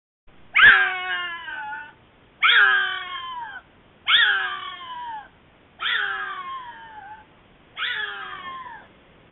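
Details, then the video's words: A very vocal wild bobcat passing a trail camera, before a stand-off with another bobcat, giving five loud, drawn-out, harmonic yowls, each falling in pitch and lasting about a second, spaced about two seconds apart in near silence. "Bobcats Vocalizing and Stand Off"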